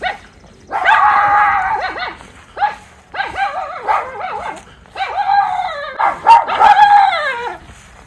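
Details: Miniature Schnauzer Lucky, one of two brothers in Aroostook County, Maine, alerting his brother to someone nearby while Levi tracks a chipmunk: three long, wavering, drawn-out howl-like barks, each lasting about a second, rising and falling in pitch.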